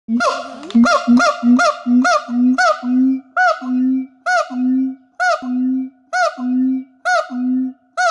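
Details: At a wildlife shelter in Thailand, a siamang sings with its gular sac, giving loud, rich, nasal barking notes in a steady series that slows as each note lengthens.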